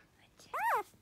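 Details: Very lively male Toy Poodle puppy giving one short, high, arching whine that rises and falls in pitch. A person speaks softly just before it.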